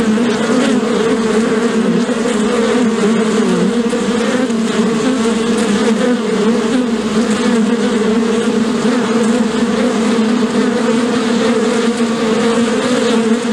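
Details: Collective buzzing of many bees, possibly around a hive, a thick continuous drone holding two steady low bands, with an even, unbroken hum throughout.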